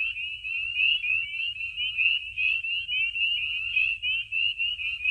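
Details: At night in spring in Maine, a dense chorus of spring peepers at warming vernal pools gives countless high, sharp peeps blending into a continuous shrill ringing; barred owl hoots may be heard.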